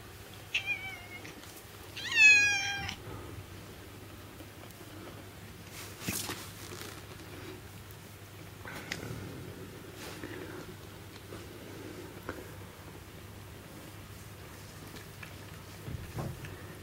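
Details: Indoor pet cat, once a starving stray, answering after the word for milk is spoken: two quick rising-then-falling meows, the second louder and buzzier, followed by soft rustles and faint clicks in a quiet room.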